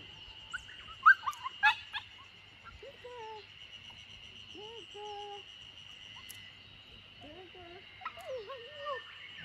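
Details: A young Samoyed puppy whimpers outdoors in a garden in Niseko, Hokkaido, Japan. It gives several short, thin, wavering whines, some bending up then down, in uneven bursts. Clicks and taps come early, over a steady high background tone.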